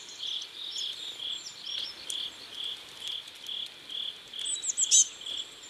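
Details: Crickets by a river at sunset in South Korea, giving short pulsed chirps that repeat steadily about twice a second. Brief thin, high chirps from another creature cut in near the end.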